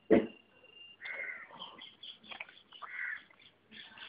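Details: Puppies whining: a sharp opening yelp, then a string of high, thin, drawn-out whimpers and squeaks, some wavering, broken by short pauses.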